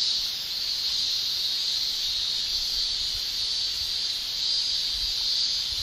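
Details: Japanese summer chorus of male cicadas singing with their tymbals: an intense, high, sustained shrilling hiss, steady throughout apart from small rises and dips in strength.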